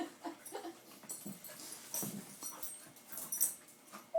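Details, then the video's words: Two littermate puppies, white Roo and black Cupid, found together in a cooler at Christmas, wrestle in play; short soft grunts and low growly snuffles come in quick bursts, with scuffling and light rustling between. "Puppy rumble"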